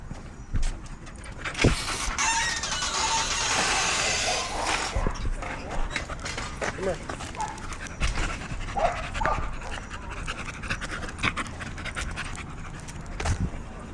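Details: Dog at a busy dog park among many other dogs, out sniffing smells; heavy breathy panting swells for a few seconds near the start, followed by softer snorts and huffs, with people talking and scattered clicks and thumps around it.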